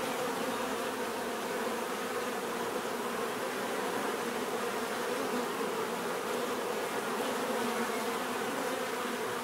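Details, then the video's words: Bees producing a constant, rich buzz, layered humming tones under a broad hiss, level and uninterrupted throughout. "bees therapy relaxing natural buzzing sound"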